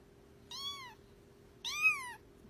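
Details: Two clear meows from a cute cat, each about half a second long, high-pitched with rich harmonics, rising slightly and then falling, separated by a one-second pause over a quiet indoor background.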